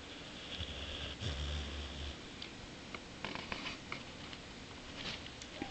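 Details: Bowser, a Boxer dog sleeping and dreaming after a throat operation, snores with a low rumbling burst lasting over a second, then soft hissing breaths and faint clicks.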